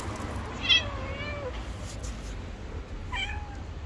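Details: Two hungry stray cats asking for food meow loudly. A drawn-out meow sinks in pitch, then a short, sharp meow follows a couple of seconds later over a low rumbling background.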